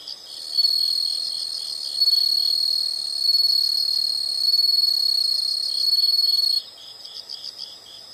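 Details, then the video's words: Insects in a relaxation nature recording, a loud sustained high trill with flickering pulses for most of the clip, ending suddenly and leaving softer rhythmic chirps. "the sound of insects"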